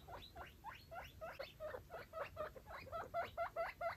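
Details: Five baby foster guinea pigs and their mother exploring a clean cage; a run of squeaky upward-sweeping calls, about two per second, becoming more regular and pulsed toward the end.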